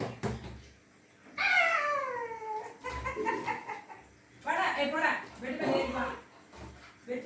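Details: Labrador Retriever named Linga, indoors, vocalizing as if saying "Amma, open the door" in Tamil; a drawn-out, falling, whine-like voice followed by shorter mumbling vocal bursts, with human speech and music around it.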